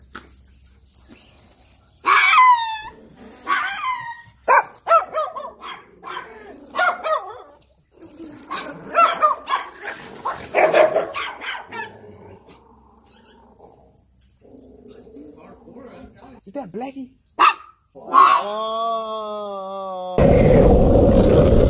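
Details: Three tiny Chihuahuas bark at the same time on a hiking trip, sharp high-pitched yapping in quick bursts, with people talking and music nearby.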